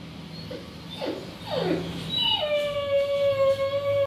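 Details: Boerboel called Cuddy letting out a drawn-out, steady tonal howl that holds one pitch, preceded by softer sliding whines over a background hum.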